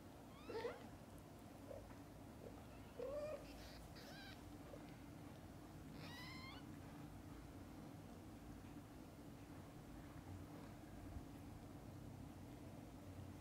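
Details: Mother cat with kittens indoors: short, high, bent mews in scattered bursts near the start and middle, four or five cries, then quiet with a constant low hum and faint clicks.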